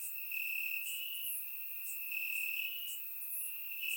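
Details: On a warm summer night in Bulgaria, crickets chirp in the grass: an unbroken shrill tone underneath, with quick higher chirps popping in every second or so. Surround microphone recording.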